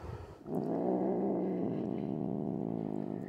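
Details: Grumpy pet cat growling at having her nails clipped, normally calm; after a brief quiet start a sustained, pulsing low growl rumbles on steadily.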